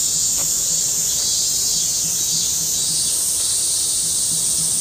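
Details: Cicadas singing together in a big August 2008 chorus: an intense, shrill, unbroken buzz whose tone shifts a little upward partway through, with faint low background rumble.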